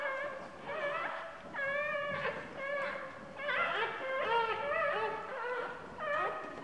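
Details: Newborn puppy on its second day of life whimpering in pain as its mother sits on it: thin, wavering high whines, some rising then falling, in broken bursts about every second or two.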